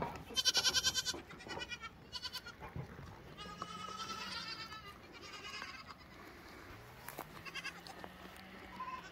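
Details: Lambs: one loud, strongly wavering bleat opens, followed by softer, drawn-out bleats and a faint low hum in the background.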